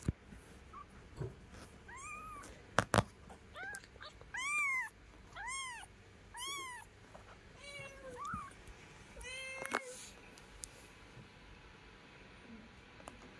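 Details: Kitten beside its mother cat, domestic pets; a long series of repeated high arched meows, some sharper and more strained, roughly every second, broken by a few loud clicks and knocks indoors.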